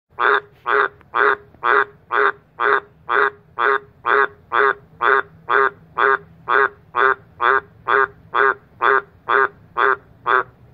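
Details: Two Australian green tree frogs croaking at night in a backyard under a spotlight. Deep, raspy croaks repeat at a very steady rhythm, about two per second, roughly twenty in a row, with no other sounds.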